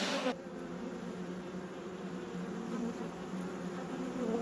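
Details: Honey bees humming inside a managed apiary hive during a beekeeper's inspection: a steady, dense low drone with no breaks, holding an even level throughout after a brief louder moment at the start.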